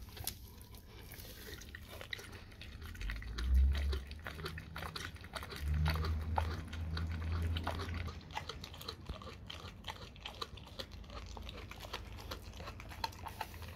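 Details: Dog eating raw cow tongue indoors, steady moist chewing and clicks at a quick uneven pace, with loud low thumps and rumbling between four and eight seconds.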